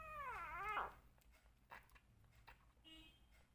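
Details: Rescue kitten, one of two left, crying during bottle feeding indoors; a single loud wavering meow with strong harmonics, dipping then rising, followed by faint clicks and a short high squeak.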